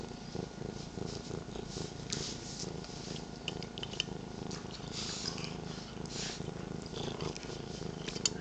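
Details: Pet cats Sweetie, 13 years old, and Petie, 8 months, purr indoors in the morning with Paisley on a lap; a dense, even, pulsing rumble fills the whole stretch, with faint scratchy rustles on top.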